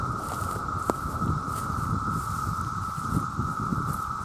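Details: Millions of male cicadas call together to attract mates, making a steady, unbroken droning whine at one constant pitch, with low rumbling and rustling noise beneath and a single brief click near the start.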